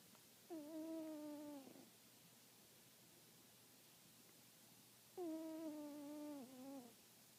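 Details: An 18-year-old cat snoring, each breath a reedy, whistled tone held for over a second and dipping at its end, the two breaths spaced about four and a half seconds apart in a quiet room.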